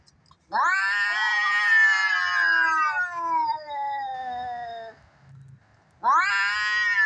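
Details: Fighting cats, played to tease cats: one long howling yowl swells and slowly sinks over about four seconds, a short pause with faint grumbling, then another loud wail begins.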